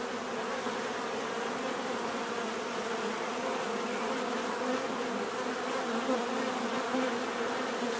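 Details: Dense, steady drone of many bees, a continuous hum with bands near the low-middle pitches holding evenly throughout, no breaks or other animals standing out.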